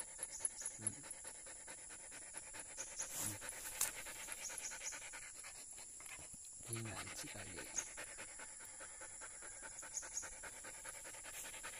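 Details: Tired Belgian Malinois resting on a mountain hike toward Sitio Buyabod, panting in fast, steady rhythmic breaths with a brief pause near the six-second mark; a constant high-pitched hum sounds in the background.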